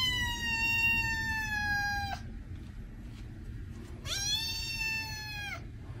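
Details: Kitten meows meant to make cats react: two long, drawn-out meows, the first steady and slowly falling for about two seconds, the second rising sharply then holding level before dropping, with a low background rumble.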